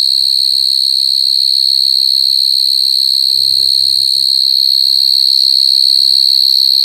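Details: Coconut crickets crying with a sustained, piercing, high whistle-like drone that stays steady throughout. A short burst of human talk comes briefly near the middle.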